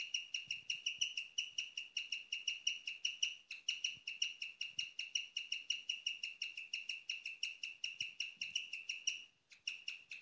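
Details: A female guinea pig chirps at night, giving bright, bird-like peeps several times a second, a sound rarely heard.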